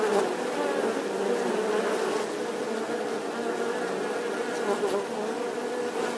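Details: Bee buzzing in a steady, continuous drone with a strong low hum and layered harmonics, holding an even loudness throughout with no pauses or other sounds.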